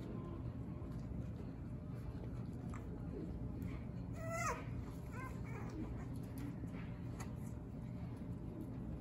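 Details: Playing French Bulldogs from the Fanya x Prince litter let out one sharp, rising-then-falling squeal near the middle, followed by a softer second yelp amid faint scuffling and room hum.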